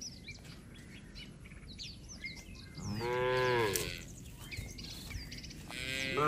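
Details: Herd of tame cattle strolling the road back to the pen beside their herder in the countryside; one full, rising-then-falling moo midway, a second moo beginning at the close, and busy bird chirps in the background.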